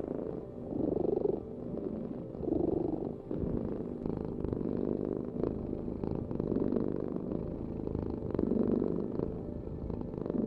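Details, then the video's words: Steady, rough purring from a cat, a deep buzzing drone pulsing gently with its in and out breaths, each swell lasting a second or two. "Heal with the ultimate cat purring vibration"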